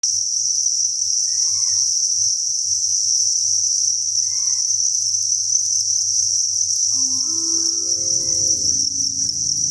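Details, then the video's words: Thousands of crickets chirping together inside a cricket breeding farm: a dense, unbroken high shrill trill, with a few faint short tonal notes and low hum near the end. "Cricket Chirping Sound"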